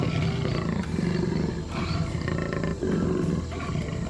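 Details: Jaguar stalking among the shadows of the undergrowth in the Amazon jungle; deep, rough roars in two or three swelling bursts, low and rumbling, over a dense, noisy background.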